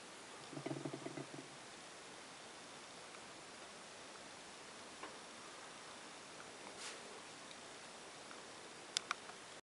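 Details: A large female Sumatran tiger tarantula (Cyriopagopus sp.), alone in the middle of the night, gives a short bout of drumming, a quick patter of soft, low thumps lasting about a second; then only faint room hiss and small clicks.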